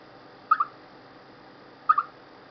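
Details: Chipmunk ahead of rain: two sharp double chirps about a second and a half apart, each pair quick and mid-pitched, against a low steady hiss.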